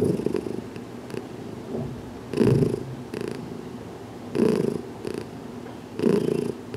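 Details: Cat Heidi, still becoming accustomed to massage, purrs as her head is worked in a small closet, June 6, 2019; throaty low purr cycles rise and fade about every two seconds, each swell with a brief airy edge.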